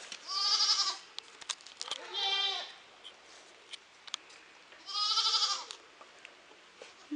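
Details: Goats in the evening giving three loud, strained, nasal bleats, each about half a second long, spaced a couple of seconds apart, with faint clicks and rustles in between.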